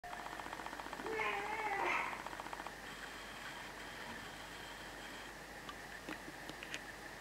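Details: A pet dog named Raffi howling at night on 13 July 2019. A single short wavering, rising-and-falling tone lasts about a second, followed by faint room hum and a few soft clicks.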